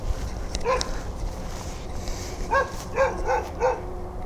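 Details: A dog keeps barking at night during a search. One bark comes early, then a quick run of four sharp harmonic barks about half a second apart, over low background rumble.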